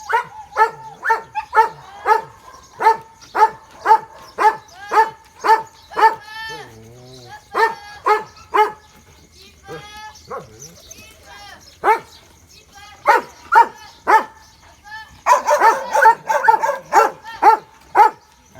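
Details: Dogs playing outdoors after watching a rabbit on the grass, barking playfully in sharp, regular bursts about two per second, pausing briefly while people talk, then resuming with denser overlapping barks.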